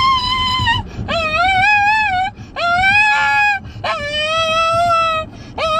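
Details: A Shih Tzu in a car's backseat gives drawn-out, tuneful whining howls, each rising then holding steady, about every second and a half, unhappy while people in front eat vanilla ice cream.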